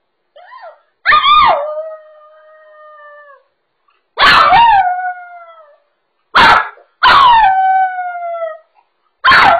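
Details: Poodle left home alone, crying like a wolf: a faint whimper, then four long howls with harmonic bands sliding down from a high start and tailing off, spaced a couple of seconds apart, the last cut short.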